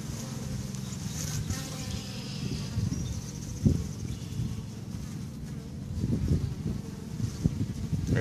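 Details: Busy bees flying outside a hive on May 1st 2013, a steady low droning hum with brief louder fly-by swells and light outdoor background noise.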